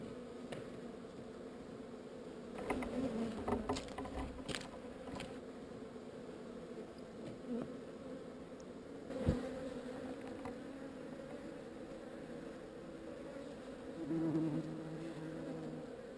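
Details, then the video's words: Honey bee swarm being relocated from an undesired location: a steady, dense droning hum with a low pitched core and a brighter overtone, swelling briefly around three seconds and again near fourteen, with scattered knocks and taps. "Relocating Bees"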